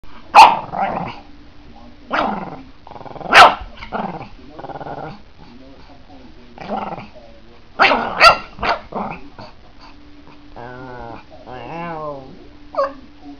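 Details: Angry Pekingese dog confronting a house cat, a harmless staged scuffle: bursts of snarling growls and sharp barks at irregular intervals, with a wavering whining yowl near the end and human speech between.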